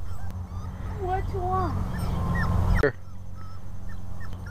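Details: Puppy taken outdoors for the first time on a cold day, crying with a series of thin, wavering high whimpers that rise and fall, set against steady low wind rumble, followed by a sharp click.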